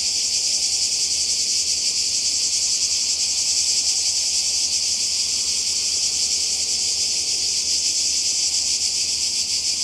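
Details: By the sea in Croatia during summer 2020, many cicadas keep up a steady, shrill, high buzzing with a quick rhythmic shimmer, unchanging in strength.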